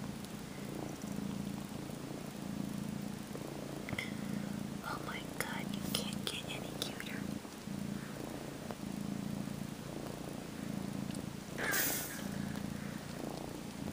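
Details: Kitten about 12 weeks old purring while sleepily sucking on a faux fur blanket and kneading with its paws, mock nursing indoors; a steady low rumbling purr swells and fades in rhythmic pulses throughout, with soft human speech and whispering over it.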